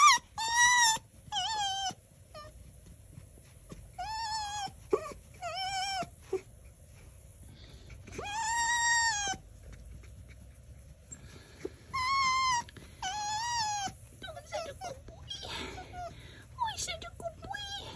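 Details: Toki, a pet fox, making squeaky toy-like sounds: bursts of high, wavering, nasal squeals in short clusters, some long and trembling, separated by quiet gaps, indoors.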